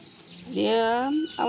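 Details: A pet cat during play gives a long, clear meow that rises and then holds steady for nearly a second, followed by a shorter second meow; soft human speech is heard just before.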